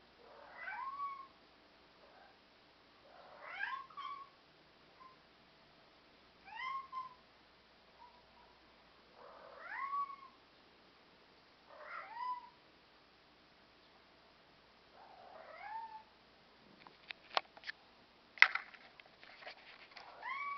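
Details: Black European Shorthair cats, described as communicative and self-assured, indoors; a series of rising-then-falling meows about every three seconds, then several sharp knocks and clatters near the end.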